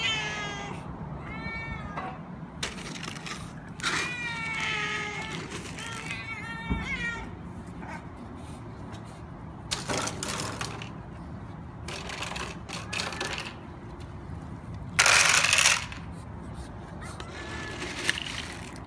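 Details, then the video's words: Domestic cats meowing for food at a building's main door, a group of them crowding in with repeated plaintive meows during the first seven seconds, followed by rustling, clattering bursts and a few softer calls near the end. "Cats Call for Food at the Main Door of the Building"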